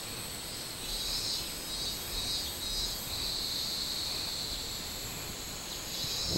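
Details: Robust cicada singing on 24 July 2016, a high buzzy shrill pulsing in loose bursts over steady insect hiss and broad background noise.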